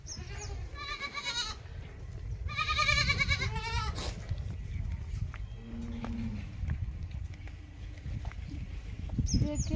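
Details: Large goat at milking time gives two loud, quavering bleats about a second apart, each with a wobbling, vibrato-like tone, followed by people talking nearby, low rumbling background noise and a few clicks.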